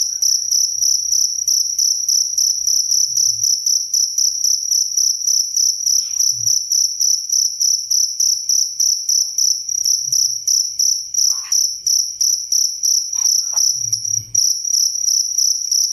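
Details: Cricket chirping steadily, a bright high trill pulsed about three times a second and sustained throughout, with faint brief low knocks and a few short rustling noises in the background.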